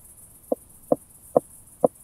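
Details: Four sharp, knocking clicks roughly every half second from a Southern Oak Bush-cricket, Starnberg, Germany, 7 August 2023, captured via a Pettersson D 100 ultrasound detector, with faint background hiss.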